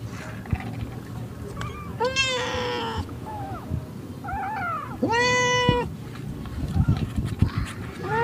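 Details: Pet cats in a home, the household of orange cat Jay, celebrating his second birthday on 19 March 2023. Two long, loud, drawn-out meows rise and then fall, with shorter meows in between. People talk quietly in the background.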